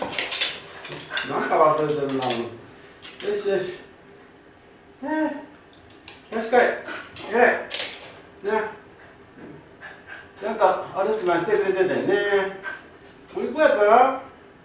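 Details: Kai Ken dog named Ichi, left home alone for about fifty minutes and crying throughout, described as a lonely dog with a wolf-like howl; broken bursts of harmonic whines and yelps that rise and fall, separated by short quiet gaps, indoors.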